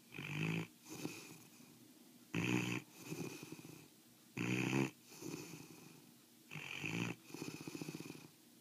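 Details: Deep, rhythmic snoring from Osa, a foster mastiff fast asleep: sharp, loud rasping bursts alternate with longer, gentler wheezy breaths, roughly one snore every two seconds.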